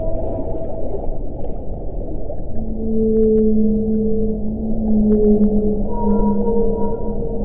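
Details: Underwater whale call: after a stretch of low rumbling, long steady tonal moans sustain for several seconds, a paired lower and higher tone, and a brief higher tone near the end. Deep water noise continues throughout.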